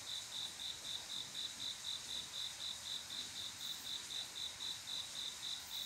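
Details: Summer-night cricket, a male's mating call to a female: a steady train of sharp, high, tonal chirps about four per second, uniform in loudness, with soft background insect hiss.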